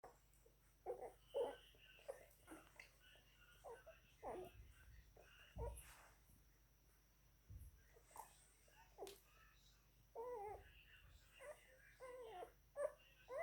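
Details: Nine-day-old German Shepherd or Belgian Shepherd puppies drinking milk indoors, giving short squeaky, wavering whines and squeals in irregular bursts, with soft bumps and shuffling between them.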